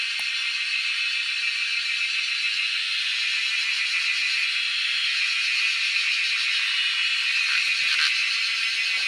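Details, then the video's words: A cicada chorus, heard in the wild while people hunt the insects: an unbroken, shrill electric buzz with a loose, fast pulsing, and a few soft knocks and rustles near the end. "Hunting cicadas || Making crazy noise in the wild yet drawing our eyes to catch them."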